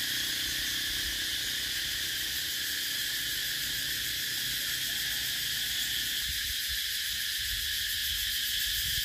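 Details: Continuous piercing cicada chorus: a dense, metallic whine with rapid throbbing pulses holding at an even loudness from start to finish, with faint low rumbling early on.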